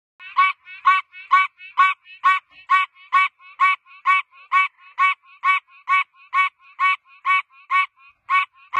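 A tree frog gives a steady run of nasal, honking notes, about two each second.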